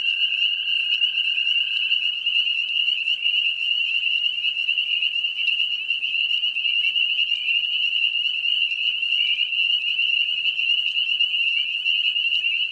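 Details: Spring peepers calling in a mating-season chorus near wooded ponds and swamps: a dense, continuous high-pitched trilling and peeping from many small frogs, with a fainter lower steady whistle-like tone during the first two seconds.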